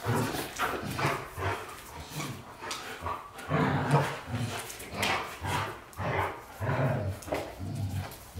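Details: Low grumbling vocal bursts from white Golden Retrievers James Bond and Luna, rising and falling in uneven waves with short gaps, mixed with whimper-like tones.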